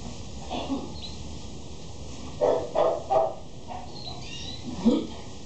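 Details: Barking from a male Shih Tzu: three sharp barks in fast succession, then a short pause and one more bark near the end, over a constant background hum with a few faint bird twitters.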